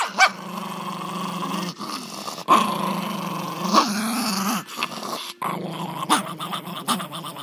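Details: Angry puppies growling almost continuously, low rough rumbles with sharp yip-like accents and brief whimpers scattered through.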